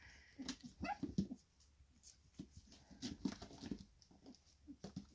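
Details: Four-week-old Staffordshire Bull Terrier puppies from one litter, indoors on 4 June 2023, just awake: short, thin whimpering yelps in scattered bursts, with a person talking in French and handling noises.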